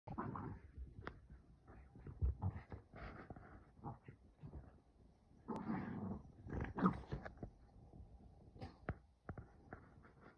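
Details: Kumo the Keeshond and Sully the Boston Terrier wrestle in play inside a vacation cabin, giving scuffling bursts of low, rough growly grunts and huffs with thumps between, louder around the middle then settling into scattered short noises.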